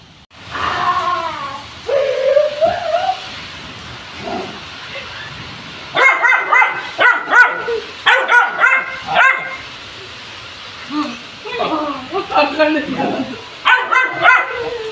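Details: Jerry, a brown Labrador Retriever, on a rainy day: a short whine early on, then bursts of sharp, bright barks in quick clusters around the middle and again near the end, with quieter yips between.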